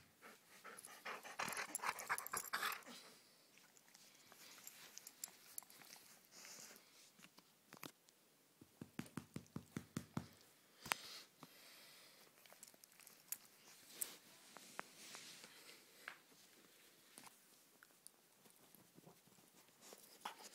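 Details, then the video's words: During rough-housing play indoors, a pet dog pants and growls in busy, irregular bursts, some whimpering mixed in, over constant rustling and thumps; a short run of rapid low pulses sounds near the middle. "Rough-Housing With My Dog"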